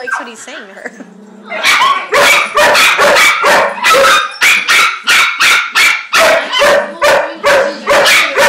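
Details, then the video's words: At puppy class, a German Shepherd and another dog trade noises in a lively exchange: a wavering whine and a human voice open, then a steady run of loud, sharp barks roughly twice per second continues to the end. "Chloe Has A Discussion With Max (the German Shepherd)"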